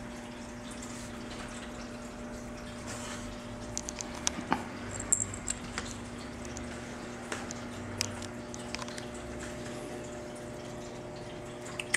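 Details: Quiet indoor room tone with a steady low hum and scattered soft clicks and drips, with no animal voice heard.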